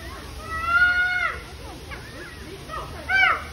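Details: Chimpanzee squabbling over food at the Oregon Zoo, giving one long, tonal, ringing scream held for nearly a second before dropping away, then quieter broken cries and a second short, sharp scream at the end.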